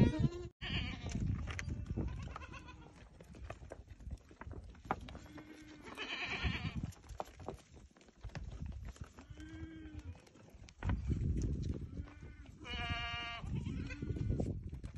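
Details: A herd of around thirty goats with three young gives scattered bleats, some nasal and some higher and quavering, spread through steady shuffling and handling noise.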